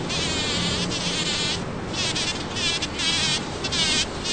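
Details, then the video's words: Bumblebee working Champlain rose blossoms in a Toronto, Ontario back yard, June 5, 2010; a low droning hum sits under loud, pulsing bursts of crackling, rustling hiss as it clambers through the flowers. "Loud Buzzing Bumblebee Works a Champlain Rose"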